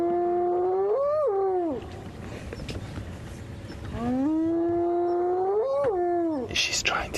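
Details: Spotted hyena giving two long, tonal whooping calls, each holding steady, rising, then swooping sharply down, a few seconds apart, at sunrise on 15 October as hyenas come in on a lioness of the Tsalala Pride; a man speaks softly.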